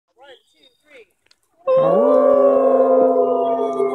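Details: Gray wolf howling: after a few faint soft sounds, a loud, steady, smooth howl begins and holds an even pitch for over two seconds, rich in harmonics, with only a slight drop toward the end.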